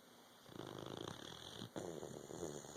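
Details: Puppy sleeping, its snore a continuous grainy rattle broken by a brief catch of breath midway.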